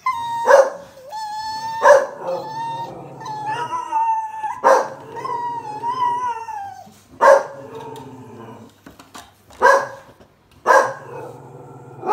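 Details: Blue Staffordshire Bull Terrier, raised alongside cats, alternates sharp barks with wavering, whining howls that rise and bend in pitch. The barks come roughly every two to three seconds, with the howl drawn out between them.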